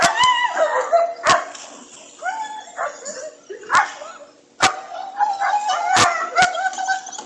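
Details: Pregnant female German Shepherd vocalizing to say she wants to go swimming: drawn-out, wavering whines and yodel-like moans that rise and fall, broken by sharp clicks and thumps.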